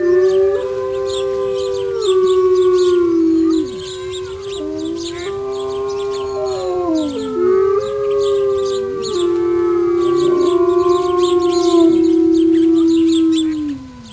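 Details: Wolves howling: several long, steady, overlapping howls in a layered chorus, each holding a level pitch before sliding downward. New voices enter throughout, with higher howls weaving above the lower ones.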